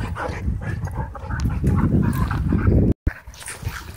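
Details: During rough play at a dog park, dogs give dense low growls that build steadily, then cut off abruptly near the end, followed by quieter huffs.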